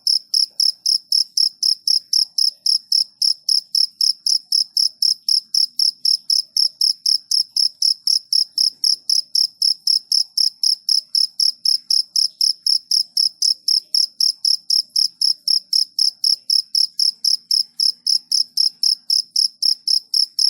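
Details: Long unbroken run of cricket chirps, high and pulsed, repeating evenly about four times per second with a clear overtone above, against an otherwise quiet background.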